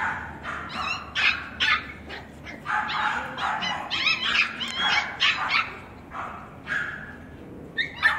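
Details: Male West Highland White Terrier filmed at a kennel on 21 April, barking in quick bursts: high, sharp yapping barks repeated irregularly, some squeaky and strained, with brief pauses between flurries.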